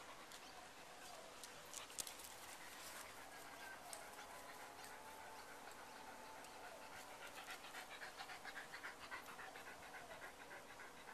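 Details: Dogs panting, two calm boxers with a friend's dominant schnauzer, after a 12-kilometre walk earlier that day; rapid soft breathy pulses, about three to four per second, grow steadier and more distinct toward the end over a faint hiss.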